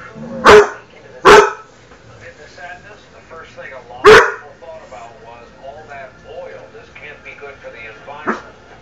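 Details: Domestic dog barking at his own reflection or self: two quick loud barks close together, a third a few seconds later and a softer fourth at the end, with a television voice talking underneath.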